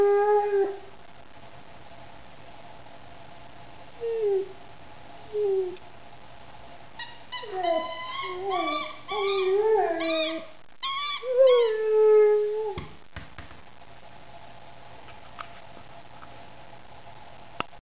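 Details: A three-year-old female Rhodesian Ridgeback singing: short, quiet, wavering yelps and whines at first, then a burst of rapid, warbling, up-and-down howled notes in the middle, followed by one falling moan and near silence.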